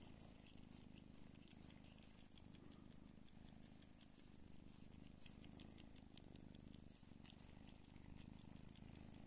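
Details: A hairless Don Sphynx mother, Pūkė, purrs while feeding her kittens, a continuous low pulsing rumble with light clicking suckling sounds on top.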